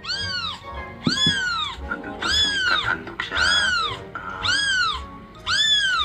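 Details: Kitten crying sounds, six high, arched meows about one per second, each rising then falling, played at home to the household cats, which seem uninterested, over a faint background murmur.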